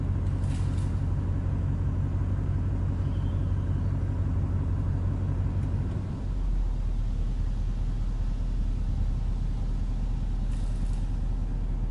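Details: Low rumbling vehicle engine noise fills the whole stretch, with no animal voice heard.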